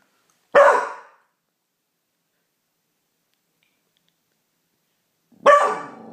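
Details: Beagle Pauly, howling at the neighbours as a newly learnt habit, lets out two short harsh bays nearly five seconds apart, each dropping away quickly into a brief ringing tail, with silence between.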